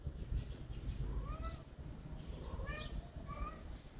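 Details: Soft, faint cat meows, three short arched calls spaced about a second apart, set against a noisy low rumble.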